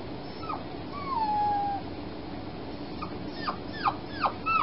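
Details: Female foster puppy recovering from spaying at night: one long, thin whine gliding downward, then a quick run of four or five sharp, descending yips.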